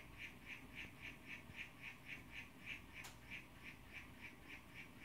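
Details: Blue-form young male Oophaga histrionica calling for a female, recorded zoomed in on a phone: evenly spaced short chirps, roughly three to four each second, with one sharp click midway and soft low hum beneath.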